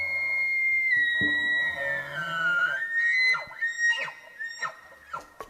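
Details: Roosevelt elk (Cervus canadensis roosevelti) bull bugles in rutting season: a long, eerie, high whistled tone, then short yelping chuckles, calls rutting bulls use to show dominance and secure mates.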